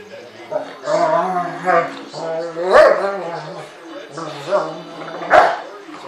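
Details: Two dogs, an American Rottweiler and a 5-month-old, 60 lb South African Boerboel mastiff, play-fighting; drawn-out low harmonic growling sounds broken by two sharp bark-like bursts, with human voices mixed in.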